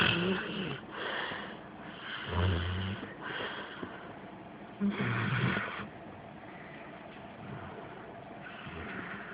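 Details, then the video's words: Reilly, a female Rottweiler/Pit Bull mix, snoring while asleep with her mouth slightly ajar, recorded on a phone; she has snored her entire life. Low rumbling breaths with raspy upper tones, repeating roughly every two to three seconds. "Reilly Snoring - Listen Closely"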